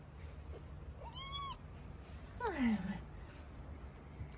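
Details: Hungry domestic cat meowing indoors before being fed in the morning: two separate meows, the first a short arched cry, the second longer and sliding downward, over a steady low hum.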